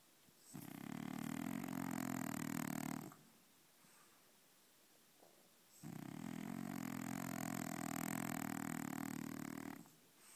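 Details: French Bulldog asleep and dreaming, snoring loudly indoors: two long, harsh, rattling snores, each lasting about three to four seconds, separated by a quiet pause of roughly two seconds.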